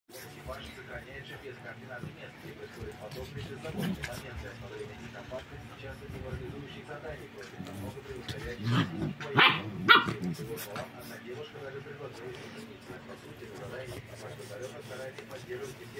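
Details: Three seven-week-old Rottweiler puppies playing and squabbling over a shared toy; scattered yips and short barks over a busy background, with a louder burst of sharp yelps near the middle and human voices throughout.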